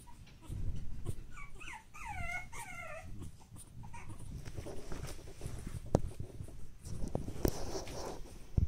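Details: Pug puppy brothers born 10 August 2015 give a short burst of high, wavering whimpers over low rumbling and shuffling noise.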